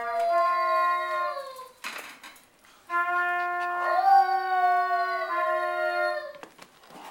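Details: Shiba Inu named Winston, singing along with trumpet practice for the first time: a wavering, sliding howl over sustained trumpet tones in two long phrases, broken by a brief clattering noise and a short pause.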